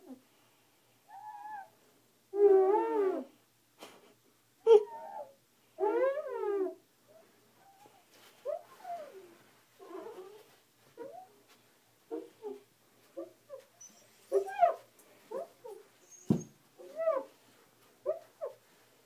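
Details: Husky indoors in the evening, confused and curious about a squeaky glass cleaner used on a bathroom mirror; drawn-out, harmonic, moaning whines and woo-like howls, then a string of shorter clipped grunting yips, separated by quiet gaps.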